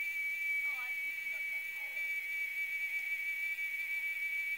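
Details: Continuous high, metallic whine from a cicada up in a tree in the RGV, unbroken and even in loudness, with faint quiet speech in the first two seconds.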